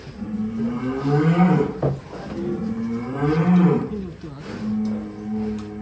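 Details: Huge 1.3-tonne show bull in Indonesia mooing: two long, low, wavering moos that rise then fall, around two seconds each, followed by a steadier low hum, with faint background music.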